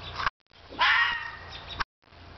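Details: A one-year-old vixen red fox courting a male Siberian Husky in a front yard in spring gives a single drawn-out, rasping, wavering scream of about a second, set off by brief silences.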